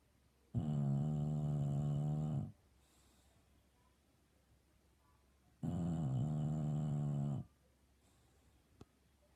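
An English Bulldog snores loudly, with long, deep, rattling breaths about five seconds apart.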